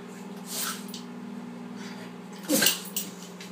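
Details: English bulldog puppy in Maine sneezing: a faint snort near the start, then one sharp, breathy burst about two and a half seconds in, followed by a softer puff, over a steady low hum.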